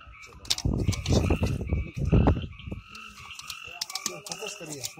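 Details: Frogs calling in the forest of the Amboli hills, Sindhudurg, recorded without background music; deep, rough croaks come in dense bursts over two steady, ringing tones from other calling creatures, with a few sharp clicks.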